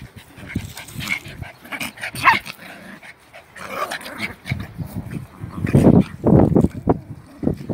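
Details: German Spitz mother disciplining her puppy: short, rough, low-pitched bursts. They are scattered at first, then come loudest and closest together in a run of throaty pulses near the end.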